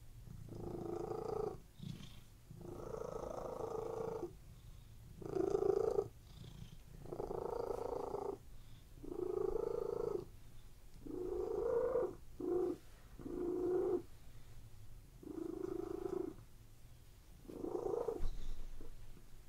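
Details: A relaxing cat purr from pets laying on a bed: throaty rumbling pulses repeated around every two seconds, even and calm, with no other sounds.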